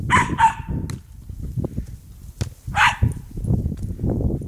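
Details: Cairn Terrier at play with a football, giving two quick barks in a row, then one more bark near the end, amid heavy low rumbling and scuffling noise.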